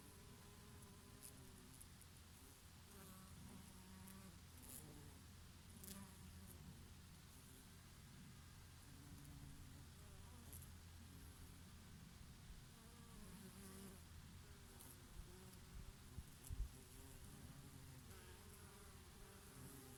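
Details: Bees grazing on flowering oregano on a summer day, a bumblebee here and there: a faint, steady low drone persists throughout, with passing buzzes swelling and fading, half hidden by continuous breeze noise.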